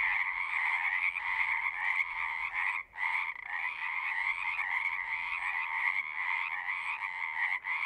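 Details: Pond frogs in a horse pasture, captured on a Zoom recorder, keep up a thick chorus of overlapping trills, broken by a brief near-silent gap a little before the third second and a short dip near the end.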